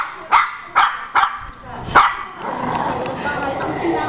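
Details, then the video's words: Pet Shih Tzu 'telling a story': four short sharp barks in the first two seconds, then a steady murmur of background sound. "MY SHIH TZU TELLING STORY"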